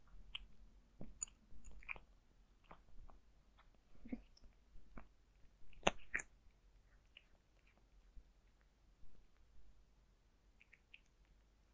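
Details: Zayka the cat eating dry food, crunchy chewing in short irregular bursts of clicks and crunches, quiet indoor room, no talking.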